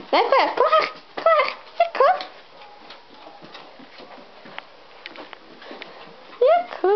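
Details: Frøya, a pet dog, indoors: short bursts of high whining with rising and falling pitch, several in the first two seconds, then quiet room sounds before another whining burst near the end.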